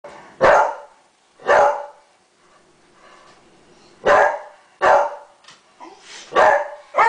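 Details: Roscoe, a dog kept with other dogs, gives loud, sharp single barks at irregular intervals, six in about seven seconds, with a short pause in between.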